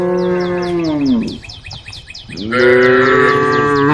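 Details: A herd of cows roaming a road, calling the herd: a loud, low moo that falls away at the end, a short lull, then another strong, sustained moo, with quick high chirps of birds running throughout.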